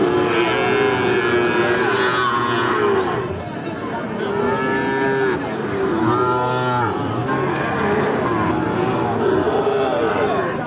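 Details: Sahiwal bull calves traded at Ambari cattle market, held each Friday and Monday, give several long, wavering, low moos in succession over a continuous background of crowd talk and market noise.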